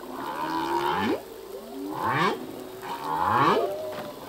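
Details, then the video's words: Humpback whale song, the male singing: three descending, bending moans with a rough, buzzy edge, repeated roughly every second and a half over a hissing background. "Whale song - full length humpback whale song"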